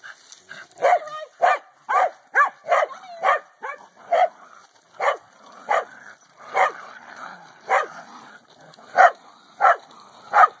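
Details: Corgi playing with a hula hoop, repeated sharp barks, quick at first then spaced about a second apart, with faint background chatter.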